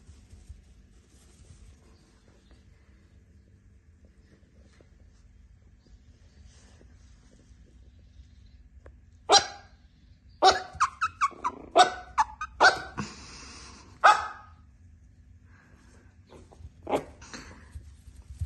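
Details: Chihuahua pup, a male, at an animal shelter: after a long quiet stretch, a quick burst of sharp high barks and yips, several close together, then a last lone bark, over a low steady hum.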